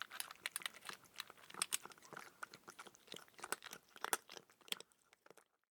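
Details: Crunching of dry food by a cat, loud crisp bites and chewing in quick irregular bursts, dense at first, then thinning out and stopping in the final half second; quiet indoor setting.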